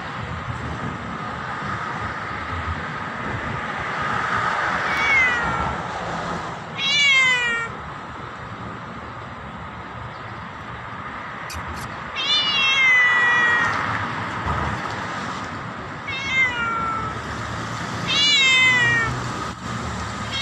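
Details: Black cat meowing loudly at its owner: several drawn-out, wavering meows with falling endings, spaced a few seconds apart over a steady background hum.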